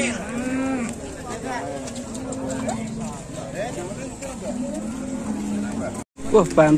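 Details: Big cattle during unloading in Indonesia; a sustained low moo holds steady for several seconds, broken by brief higher calls, with voices and vehicle noise around and a short cut near the end.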